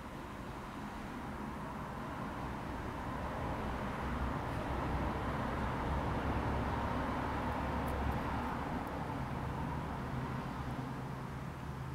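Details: A continuous low rumble like distant vehicles or a running engine fills the recording. No animal calls stand out above the noise.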